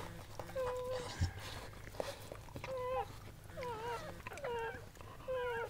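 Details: Softer, sparser Goldendoodle whimpers as Sandy labours and gives birth to seven puppies; thin drawn-out whines separated by pauses, some falling at the end, over low background hum.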